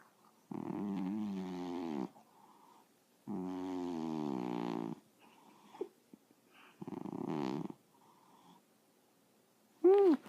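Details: Sleeping cat snoring: three rough, rasping breaths lasting one to two seconds each, spaced a few seconds apart, with soft quiet gaps between and a short higher sound at the very end.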